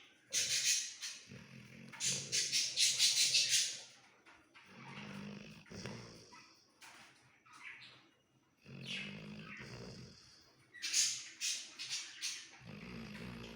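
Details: Sleeping Labrador Retriever dog snoring: breathy, hissing bursts of air with a low rumbling undertone, rising and falling in cycles of roughly two seconds, each breath loud then fading to near quiet.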